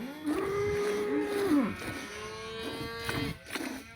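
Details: Village cow mooing in two long, steady, low lowing calls, each about a second and a half, with a rough, strained start and a drop at the end.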